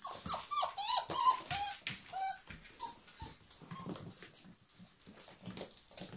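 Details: German Pinschers whimpering: a rapid, irregular run of short, pitched whines and yelps, densest at the start, then thinning out into softer whimpers and rustling.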